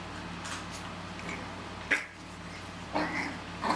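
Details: Chihuahua puppies from two litters, 13½ and 10 weeks old, playing together in a carport: three short, high yips and whimpers, the first sharp and the later two brief and squeaky, over a steady low electrical hum.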